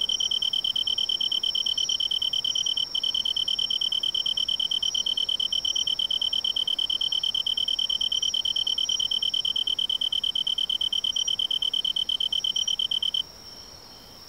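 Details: Tree cricket singing in autumn in woodland along a major river: a loud, pure, steady high trill with fine rapid pulsing and faint ringing overtones, running unbroken for about thirteen seconds before stopping abruptly.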